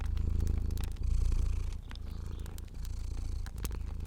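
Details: A sleeping fluffy domestic cat purrs steadily, a low rumbling vibration pulsing about four times a second.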